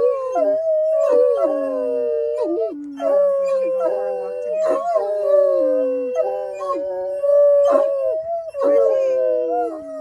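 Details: Excited Otterhounds singing in a group as they arrive at a park for a sunset walk: sustained overlapping howls holding steady pitch, with sharp upward yelps and downward slides breaking in every couple of seconds.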